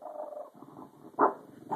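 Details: Female Boston Terrier growling angrily indoors when her owner calls someone into the room, without being touched: a steady, rough, mid-pitched rumble for half a second, then softer grumbling broken by two louder bursts.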